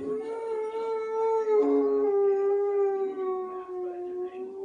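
A Boxer dog gives a long, steady, wolf-like howl that slowly sinks in pitch.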